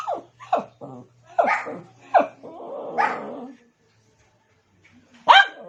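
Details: Pet dog calling for another dog's attention: a quick run of high, yelping barks, then a drawn-out whining bark, a pause, and one last sharp bark; faint low hum early on.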